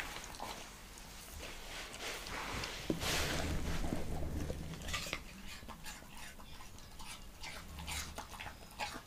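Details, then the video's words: Leonberger dog eating an apple indoors, with wet chewing and smacking clicks in a quick irregular run, a broad whooshing burst around the third second, and a low hum underneath. "ASMR LEONBERGER DOG EATING APPLE"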